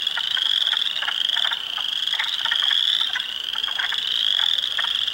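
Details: Swamp chorus of spring frogs, Spring Peepers, Wood Frogs and Eastern Chorus Frogs among them, at Heartland Forest, Ontario, April 2, 2022; continuous shrill peeping with bursts of lower rattling clucks scattered through.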